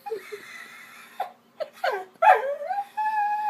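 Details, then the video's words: Pet vizsla "singing" indoors: short yips and whimpers climb into a sliding, wavering howl that settles into a steady held tone near the end. "Shelby "Singing""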